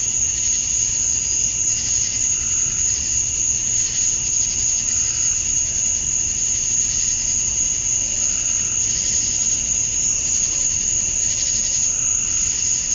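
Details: Chorus of male cicadas at summer dusk in Georgia, USA: an unbroken shrill tone with rhythmic buzzing pulses rising and falling about three times a second, plus occasional lower chirps.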